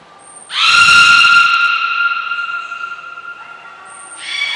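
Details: At Port of Nagoya Public Aquarium on 15 June 2022, belugas Gray and Mirai in training; a thin high tone, then a strong, steady whistle-like call with rich overtones held for about three seconds, and a second call starting at the end.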